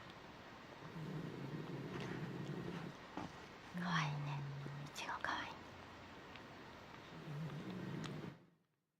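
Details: A 14-year-old, 7 kg female Shiba Inu sleeps in front of a fan heater beside a cat, snoring in low, rumbling breaths about every three seconds, with soft whispering nearby.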